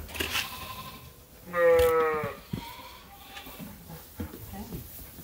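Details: A single sheep at Ewetopia Farms waiting for its feed gives one clear, steady, harmonic bleat lasting under a second, followed by faint knocks and farmyard sounds.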